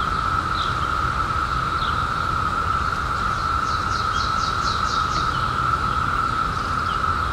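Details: Periodical cicadas in 2021, just emerged after 17 years underground, form a steady, unbroken droning hum at one constant mid pitch, with faint low rumble beneath and a short run of quick higher chirps from another caller midway.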